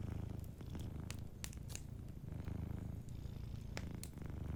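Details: Cat asleep near a fireplace purring continuously, a dense low throb in rhythmic inhale and exhale phases, overlaid with scattered crackling from burning wood.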